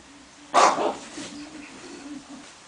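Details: English Bulldog, set against a tiger, gives a single sharp, loud bark that quickly fades, followed by a low steady hum and faint background noise.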